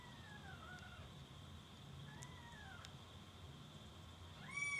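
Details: Kittens giving faint, drawn-out mews that glide gently downward, two or three calls over a few seconds, with a louder, sharper mew at the very end, against a steady hum and a thin constant high tone.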